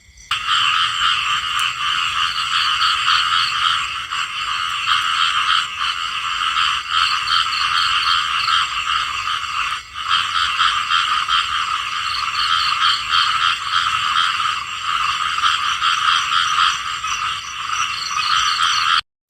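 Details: Chorus of small frogs, with croaks rapidly pulsed and overlapping into a constant buzzing din. Level stays steady for the whole stretch, with one momentary gap partway through, then it cuts off at the end.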